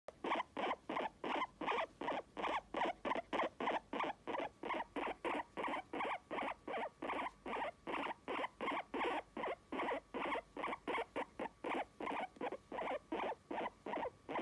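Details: Pet guinea pig vocalizing affectionately toward its owner, seeking attention indoors; a rapid series of short squeaky chirps, about three per second, steady and evenly spaced throughout, with no other sounds.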